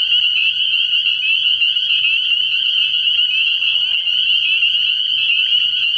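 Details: Spring peepers massed at a frog pond at night in early year, a loud unbroken wall of high-pitched peeping calls, dense and ringing throughout.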